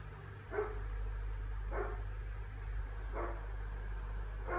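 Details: Tiny the Pomeranian lets out four brief, raspy barks spaced about a second or more apart, with a continuous low mechanical hum underneath.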